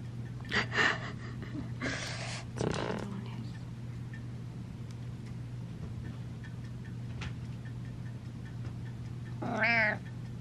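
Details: Indoor cat meowing happily on seeing its owner: a few short, bright meows early on, then a quiet stretch under a steady electrical hum, ending with one clear wavering meow.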